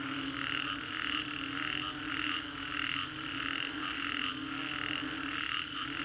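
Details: After a storm in Green Corridor, Singapore, a dense frog chorus swells and ebbs in regular rhythmic pulses, backed by a steady low hum.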